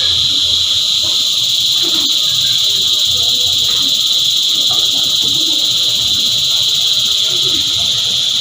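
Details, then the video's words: Continuous cicada choir: an intense high-pitched buzzing hum, level and unbroken across several stacked tones, with a brief click and faint low background murmurs beneath. "Energizing Cicada Choir"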